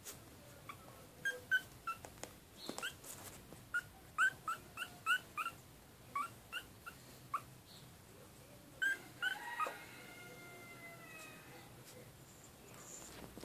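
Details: Maltese puppies whimper and yip in a quick series of short, high, bent squeals about every half second, then a few longer drawn-out whines that slide downward, in a quiet room.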